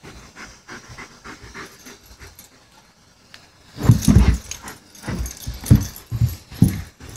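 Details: German Shepherd at play: after about four quiet seconds with faint low rustling, loud breathy bursts of panting pulse roughly every half to one second, rough and noisy with deep low weight.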